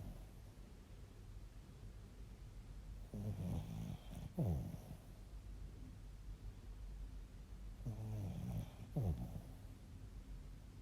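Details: Bichon Frise. A Bichon Frise snores steadily, each breath a low, rough rumble that swells and ends in a brief snort. The snores come about every five seconds against a quiet, hushed background.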